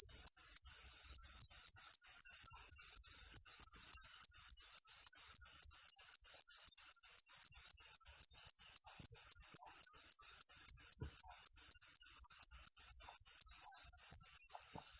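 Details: Cricket chirping, recorded as a tutor sound for songbirds: a steady run of short, bright, high-pitched chirps about four per second, with a brief pause near the start, and no other sounds.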